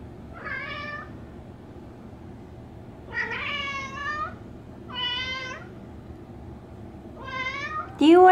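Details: Indoor domestic cat meowing at the door during heavy rain. It gives four separate, insistent meows spaced about two seconds apart, each rising then falling, with a woman speaking softly to it at the end.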